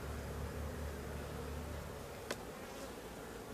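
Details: Honey bees of a hive with laying workers, confirmed by drone brood found in a super, humming during inspection. A dense, steady buzz carries on throughout, broken once by a sharp click midway.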